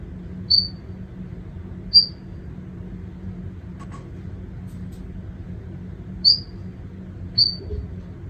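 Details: Fleischmann's glass frog recorded on 22 June 2021, giving short, high, sharp peeping calls spaced irregularly one to four seconds apart over a low steady background hum.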